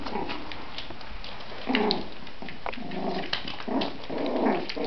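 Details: Schnauzer puppies; soft, low grumbling growls and brief whiny whimpers come in short bursts near the start, middle and end, over a steady background hiss.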